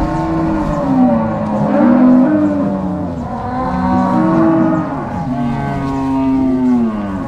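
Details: Crossbred Angus-Nelore cows driven by cowboys and dogs from corral to pasture at a farm in Ortigueira, Paraná, Brazil; long, deep moos from several cows, swelling in roughly three waves across the stretch.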